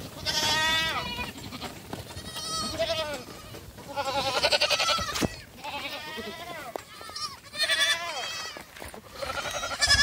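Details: Black goat kids dashing about on a Gimhae farm, South Korea, in July; several loud quavering bleats with falling tails, repeated every couple of seconds and overlapping, over a background of shuffling and knocks.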